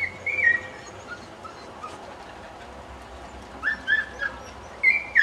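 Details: Cocker spaniel at a kennel on puppy pickup day: thin, high whimpers sliding up and then down, in a brief cluster near the start and another near the end, over a quiet background.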